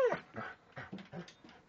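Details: Pet Alaskan Malamute jumping up on its owner at dinner at his mother's home, making a quick series of short, breathy yips and whimpers, about five bursts in under two seconds.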